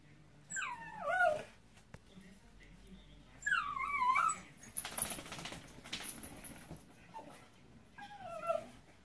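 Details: Caspi the Miniature Pinscher, wet after rain and being rubbed dry, makes several sliding, descending whines spaced a few seconds apart over rustling and hissing noise, plus a brief high tone.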